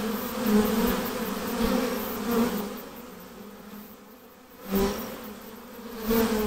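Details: Honey bee swarm being hived: a dense, steady low hum with a strong drone band and its overtone, swelling and fading in loudness every second or so as bees fly about.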